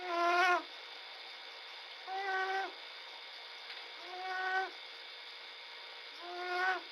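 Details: Sleeping little bobcat, February 2017, snoring in slow rhythm: four drawn-out nasal, slightly rising tones about two seconds apart, with a constant electrical hum beneath.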